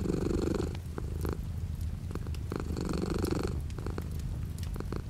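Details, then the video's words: Low, rhythmic cat purr with light rain outside the window, the vibrating drone alternating between smoother and grittier phases every second or so, over a gentle hiss and tapping of rain. "The sound of a cat purring with light rain outside the window."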